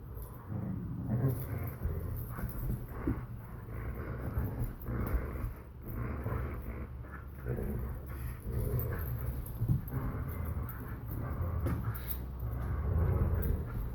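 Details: A Borzoi and a Collie puppy tugging at a toy: steady, gravelly low growls go on almost without pause, rising and falling in bursts, with scuffling and thumps from the struggle.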